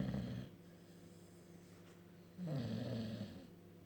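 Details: Bulldog asleep, giving two low, throaty snores about two seconds apart, each rough and rumbling and close to the listener.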